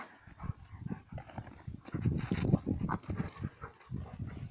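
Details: Fighting dogs, Alice holding Indie by the collar as he tries to break free: loud, deep, rapid guttural growls and huffs pulsing about three times a second, with scuffling.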